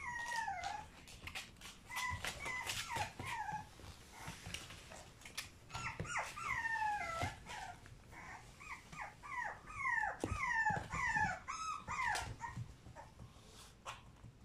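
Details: French Bulldog puppies born on 6 April, several voices giving high, whining, downward-sliding whimpers and squeaks in quick overlapping bursts, with short pauses around four and five seconds.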